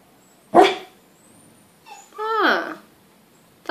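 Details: Pet dog barking as its owner chats to it in Portuguese, asking whether it is hungry; one sharp, loud single bark, then a drawn-out falling tonal sound mixed with the owner's speech, and a further burst at the end.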